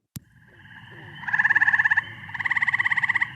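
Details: Eastern gray tree frog, played for comparison, a species with no record in Kane County; call highly repetitive, usually at night, almost like a red-bellied woodpecker: two slower musical trills of rapid pulses, each under a second.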